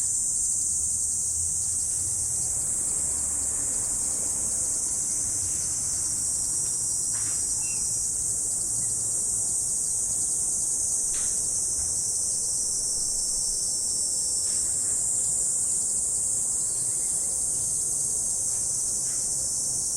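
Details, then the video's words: Morning insects in autumn keep up a thick, sustained high-pitched trilling wash with constant loudness, a few soft ticks and a faint low rumble beneath. "Morning Insect Sound Effect"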